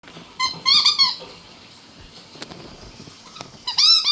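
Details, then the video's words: Chihuahua puppy vocalizing indoors: a few high, thin squeaky whines in a quick wavering cluster, quiet room noise and small clicks, then another rising squeak. "puppy Bobo loves making sounds."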